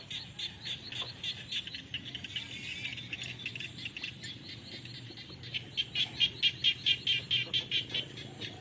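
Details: Frogs call in the rainy season in a steady chorus of short, high, clicking pulses, repeated a couple of times per second.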